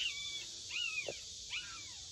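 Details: Puppies born to a stray dog, found in a plastic greenhouse in a backyard, growing louder as a man enters; three thin, high whining yelps sliding downward, over a steady hiss.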